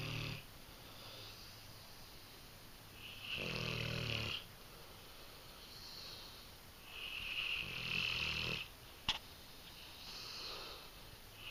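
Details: Female English Mastiff Nakita snoring while sleeping indoors; irregular rough snores every few seconds, two stronger rumbling ones among softer wheezy breaths, and a brief click.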